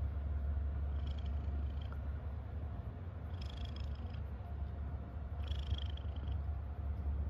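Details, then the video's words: Domestic cat purring out of happiness, a low, unbroken rumbling hum, while faint high-pitched chirps appear twice in the background. "A happy cat is a purring cat"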